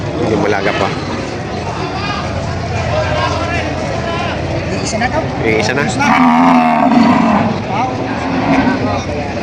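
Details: Breeding cows and heifers at a Batangas cattle market in Padre Garcia, July 17, 2026. Amid constant crowd noise and engine hum, a deep, wavering bellow swells around six seconds and holds for about a second.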